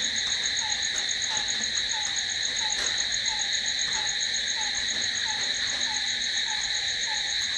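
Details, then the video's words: Crickets at night: a steady, shrill continuous trill in stacked high bands runs throughout, with a short lower chirp repeating about twice a second beneath it, and no other clear sounds. "Cricket sound🦗🦗🦗to sleep... Try it.... Night's in hands of cricket"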